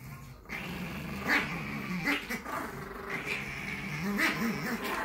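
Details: Chihuahuas Tallie and Ivy in a round bed on a Monday morning make a steady, wavering growl. Its pitch rises and dips in short undulating swells over a constant background hiss.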